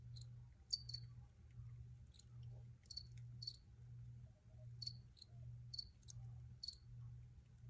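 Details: Recorded crickets give brief high chirps in pairs and triplets, spaced irregularly about every half second to second, above a constant low droning hum.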